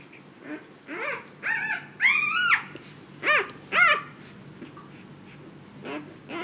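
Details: Siberian Husky Luna in labor, giving birth for the second time and calm this time, whimpers in a string of high, rising-then-falling whines, about six short cries over six seconds with quiet gaps between.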